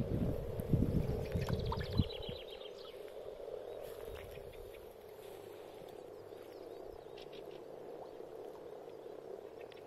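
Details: Frogs gathered for spring spawning in a pond, giving a steady, low purring chorus that runs through the whole recording, with bumping and rustling handling noise during the first two seconds.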